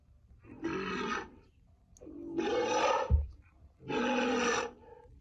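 A walrus gives three rough, hoarse roars, each about a second long, with short pauses between them.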